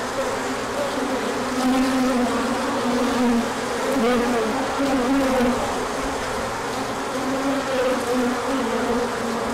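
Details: Honeybees on a large orientation flight, emerging when the sun came out after colder days, pollen arriving afterward; a dense, steady droning hum of many wings, with overlapping wavering buzz tones from individual bees passing.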